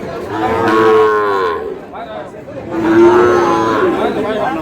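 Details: Two long, deep moos about two seconds apart ring out at a cattle market in Khulna, Bangladesh, where a farmer buys a Sahiwal breed bull calf. A quiet gap of crowd noise separates them.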